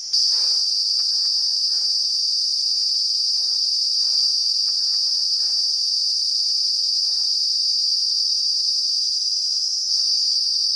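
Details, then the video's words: Loud trilling noise of a cicada filmed up close in the Uttarakhand hills, India, abdomen vibrating; an unbroken shrill buzz stays level for nearly ten seconds, then dips briefly, over faint scattered tapping sounds. "Cicada calls in close-up view, in Uttarakhand hills: see the abdomen vibrate to create noise!"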